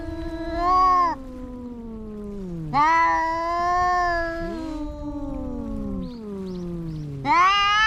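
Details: Two cats fighting, loud wailing yowls alternating with long, low, descending growls and moans, the cries rising and dipping in pitch with brief quieter gaps.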